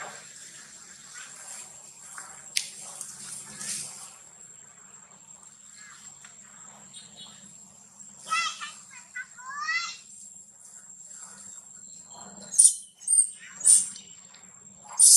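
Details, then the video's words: Baby monkey Lola, mistreated by a little monkey near a drop, cries loudly calling for its mother: a few short, wavering, harmonic wails bunched mid-clip, then sharper squeals near the end, over steady hiss and sloshing water-like noise. "Lola cry loudly calling mom"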